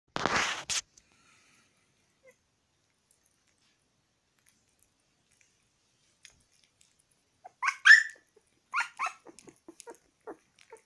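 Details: Puppy eating egg yolk, giving a short burst of high, rising whines and yelps late on, after a sharp noise at the start and a long quiet stretch.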